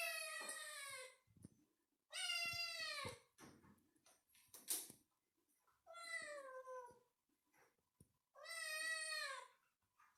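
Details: Four clear, loud kitten meows, each about a second long and falling in pitch, spaced a couple of seconds apart, with soft clicks and taps in a quiet room between them.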